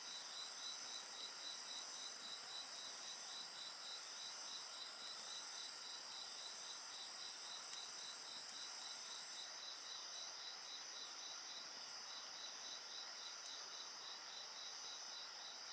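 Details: Insects calling beside a bonfire in a steady shrill chorus, a fast regular pulsed trill under sustained high tones; the highest voice stops around nine seconds, leaving the trill and a few faint crackles.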